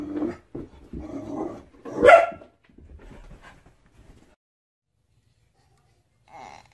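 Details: Pet dog reacting to a mirror indoors, giving one loud, harsh bark after a stretch of soft mutters and grumbles, then quiet with a faint later sound.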